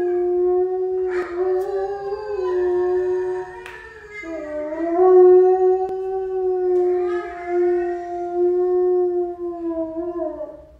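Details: Pet dog howling: long sustained tonal howls with rich harmonics, holding steady then dipping lower around four seconds and swelling again, with brief yelping breaks between drawn-out notes.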